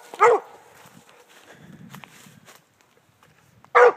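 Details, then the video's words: Redbone coonhound treeing, with meat: two short loud barks, one near the start and one at the end, separated by quieter rustling and footstep-like sounds. "Redbone coonhound treeing"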